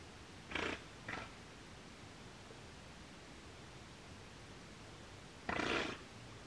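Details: Giant otter alarm calling: two short, harsh, breathy bursts close together near the start, then a longer explosive noisy burst about five seconds later, over a quiet background.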